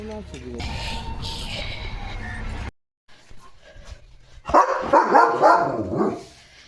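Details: German Shepherd named Leo barking on guard as a herd of sheep passes the house gate; after mixed sounds and a brief silent cut, a burst of loud, rapid barks, with people talking nearby.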